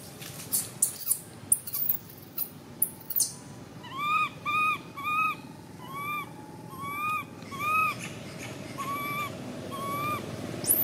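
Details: Cute baby monkey screaming: after a few seconds of scattered knocks and clicks, a run of clear, arched, whistle-like cries follows, each rising then dropping, repeated roughly every second.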